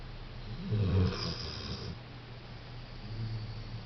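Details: Pet dog COCO sleeping and snoring in a small room. A gravelly low snore with a snorting edge comes near the start, then softer rasping breaths follow and a faint second snore returns near the end.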